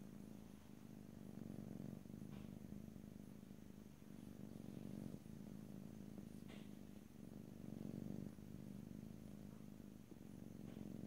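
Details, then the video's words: Domestic cat purring in a close stereo recording without speech, a strong rhythmic rumble swelling and fading with each breath about every two seconds, with occasional soft rustles. "ASMR Cat: Purring"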